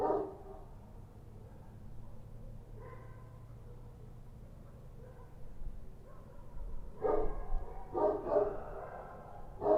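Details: Kochi street dogs at night in Kabul. Mostly a low rumbling background with a faint bark, then a cluster of loud, coarse barks over the last three seconds.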